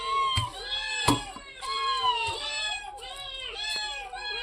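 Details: Several domestic cats indoors meowing for their share of fish set out for them; overlapping drawn-out, arching meows, some rising then falling, sound one after another over faint background music and a few sharp knocks.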